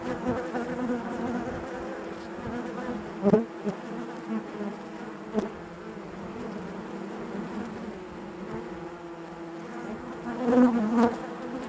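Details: Honey bees buzzing inside their hive, a dense steady drone with layered hum bands, swelling and fading, with a few louder bursts near the third and eleventh seconds as individual bees pass close.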